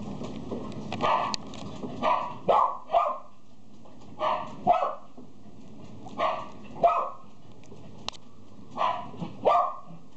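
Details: A Yorkshire Terrier at a pet shop gives short, high yapping barks in quick clusters of two or three.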